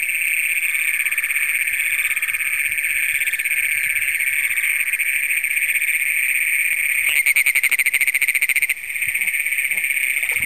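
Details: Great Plains toads, first documented in Brown County, Minnesota, calling after dark on June 27, 2010, recorded by Canon PowerShot SX100. A steady, high, metallic trill runs throughout, interrupted late by a loud rattling handling noise lasting under two seconds.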